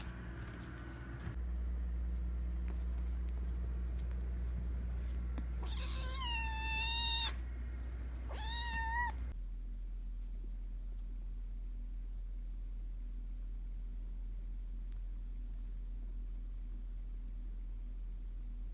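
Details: Hungry rescued kitten, one of several abandoned kittens found in late September, begging for food with an unusual voice: two drawn-out wavering meows in quick succession, then quiet with a low steady hum.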